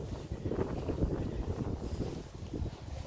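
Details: Gusty wind buffeting the microphone, a low rumbling roar with no animal voice heard.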